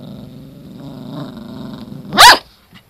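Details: ['Toy Poodle, the older of two sisters, irritated after being groomed, indoors: a low, steady rumbling growl lasting about two seconds, then one sharp, loud bark, with a faint short sound afterward.']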